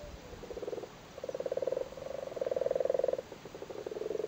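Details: Lusty male Irish frogs calling while spawning in a flooded cattle grid in Cork: a rapid run of low pulsed croaks in several back-to-back bursts, steady and rhythmic throughout.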